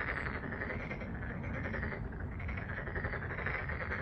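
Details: Frogs calling en masse at Deokjin Park, Jeonju, South Korea; overlapping fast, buzzy croaks form an unbroken wall of sound above a deep background hum.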